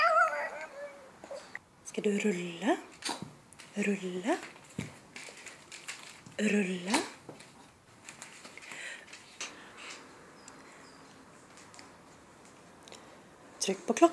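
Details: Shih Tzu named Andro talking on command indoors during a trick routine, giving drawn-out rising and falling whines and yowls in short bursts, with a woman repeatedly urging it on in Swedish between sounds.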